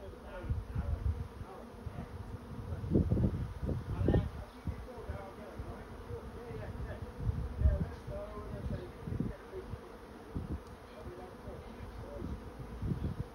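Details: Swarming honey bees entering a swarm trap make a continuous low drone that swells and fades, broken by repeated gusty low-pitched rumbles across the recording.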